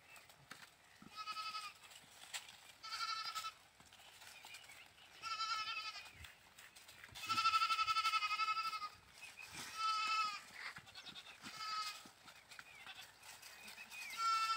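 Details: Goat bleating in a farm setting: a string of wavering, nasal bleats repeated every second or two, some longer and louder, with faint low background noise between calls.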